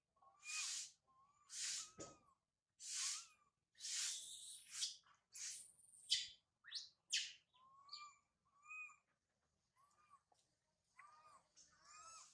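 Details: Young monkey Sario, abandoned by mother Sarah, crying loudly in a tall tree: a few harsh scratchy screams give way to quieter plaintive tonal coos that rise and dip, repeated with short pauses.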